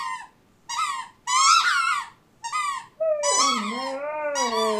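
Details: Siberian Husky crying while playing with a squeak toy indoors: high, squeaky, toy-like tones, then a lower, drawn-out wavering whine that bends down and back up, overlapping further shrill squeaks near the end.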